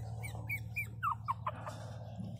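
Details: Crying Pinscher puppy Teco gives a run of short, squeaky whimpers, the first ones level and the later ones dropping sharply in pitch, about five in under two seconds, over a constant low hum.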